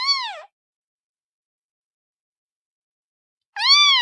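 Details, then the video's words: Kitten meowing: two short arched mews with rich harmonics, one at the start and one near the end, separated by about three seconds of silence; no other sounds. "Suara Anak Kucing"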